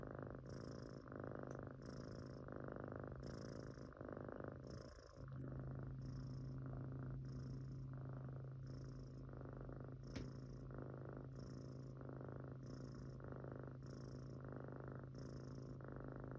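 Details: A Munchkin kitten snores while asleep, with soft, rasping breaths repeating regularly about every second and a bit throughout. There is a faint low hum and one brief click midway.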